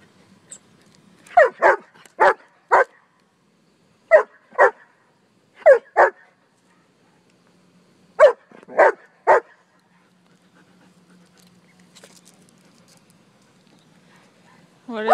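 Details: Sheba, a four-year-old German Shepherd, barking while playing with a ball: short sharp barks in pairs and small clusters, about a dozen over fifteen seconds, separated by quiet gaps, with a faint whine near the end.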